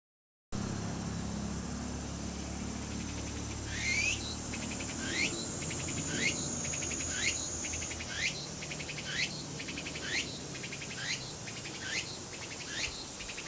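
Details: Tsukutsukuboshi cicada singing: after a quiet opening, a pulsing buzz carries sharp rising sweeps repeated about once a second, each sweep followed by rapid ticking pulses, with low rumble underneath.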